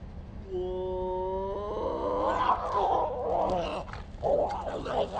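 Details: Pair of cats fighting outside on a hike: a drawn-out tonal yowl slowly rising in pitch, turning into a rough, gargling growl with harsh snarling bursts toward the end, steady low hum beneath.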